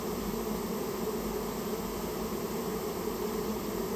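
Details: Japanese honey bees from a colony built inside someone's storehouse, being removed on request: an even, unbroken buzzing hum, thick and low-pitched, holding steady throughout.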